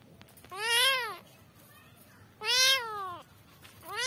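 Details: Kittens calling for their mother with two long, bright meows, each arching up then sliding down, separated by a pause of over a second; a third call begins at the end.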